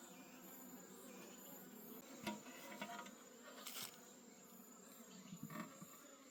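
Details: Wild honey bee colony in a deep forest, disturbed during a honey harvest before being taken home: a steady low droning hum with layered overtones, broken by sharp knocks and rustles of handling and faint high pulsing insect trills.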